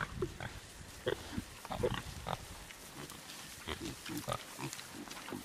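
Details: Large Black pigs giving short, low, gruff grunts in irregular bursts, about a dozen within five seconds, with faint background murmur.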